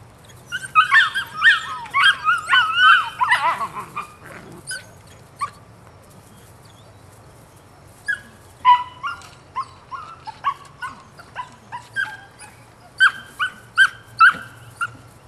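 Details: Nine-week-old female puppy barking and yipping: a dense burst of high, sharp yips in the first four seconds, then scattered short barks and yelps after a pause, with a steady low hum beneath.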